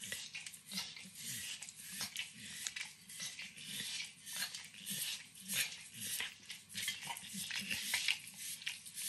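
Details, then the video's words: Pet Pit Bull named Max, nine years old, eating a treat of overcooked bacon indoors; moist slurping licks and soft nibbling clicks tumble irregularly, about a hundred per minute, with faint kitchen clatter. "Max Licks & Nibbles Bacon | Dog Licking Sounds"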